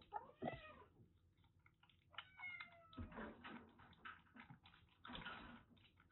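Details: Two female kittens about three and a half months old, rescued from a sweltering attic in Japan, being affectionate; short high meows, some sliding downward, among clicking and rustling noises in a small room.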